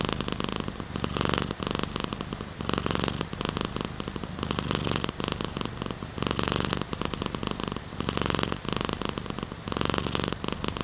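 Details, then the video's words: A house cat purrs steadily, its coarse throbbing rumble alternating between louder and softer phases about every second as it breathes in and out, with faint hiss behind. "Sleeping with Purring Cat in Your Arm | Rain Sounds, Cat's Purr"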